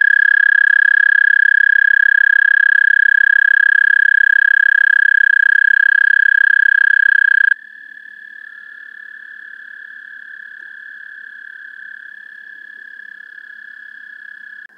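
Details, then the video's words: Trilling of American toads, recorded through an amplified parabolic microphone: a loud, steady trill lasting about seven seconds cuts off, then a quieter, slightly lower trill from a second toad carries on to the end. "Songs of the American Toad"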